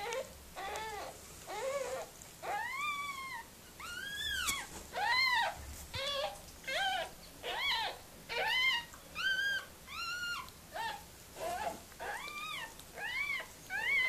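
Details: Whimpering during the birth of puppies by Mirella, a Miniature Pinscher indoors: a steady series of short, high, arched whines, each rising and dropping, repeated roughly once a second for the whole stretch, with faint breathing between them.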